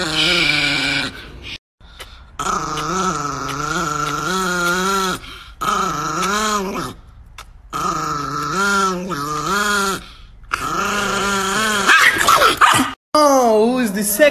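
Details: Angry pet Chihuahua indoors, growling in long harmonic snarls with wavering pitch, broken by short pauses, a high yip near the end.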